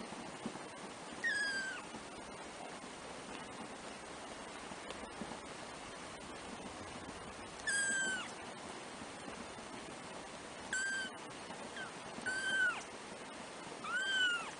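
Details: Four black kittens, 3 weeks old, first-born of a pet cat; thin high mews repeat at irregular intervals, about five across the stretch, each short and slightly descending, with steady hiss behind.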